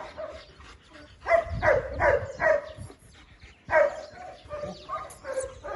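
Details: German Shepherds barking in short clusters, a few sharp barks followed by a pause and a second burst, with softer whimpering sounds between.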